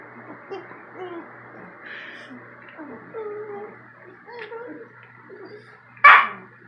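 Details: German Shepherd-Rottweiler mix puppy and a Maltese arguing indoors in the morning; wavering whiny grumbles and moans, then one sharp loud bark near the end.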